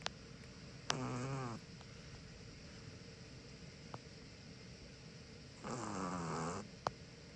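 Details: Sleeping pet Chihuahua, one of a sibling pair (white male aged six, black female aged five), snoring indoors: two droning, buzzy inhalations with a low pulsing hum, about five seconds apart, with quiet room noise and faint clicks between.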